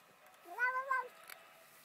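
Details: Cat answering a person's coaxing to talk: a single drawn-out meow with a rising start, a level middle and a brief dip into a second syllable, lasting about half a second in a quiet room.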